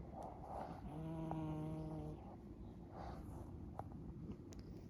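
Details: Marley, a female cat, naps deep asleep on a blanket in a garden tent one morning after being petted. A low, droning harmonic snore holds for about a second, then gives way to soft breathy rustling.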